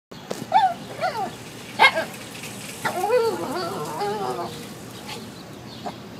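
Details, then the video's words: Wolfy, a pet Shih Tzu obsessed with cats, crying to play with a cat inside a neighbour's basement window: short high rising-and-falling whimpers, then a longer wavering whine, with faint background hiss. "Wolfy the Shih Tzu whines for a cat!"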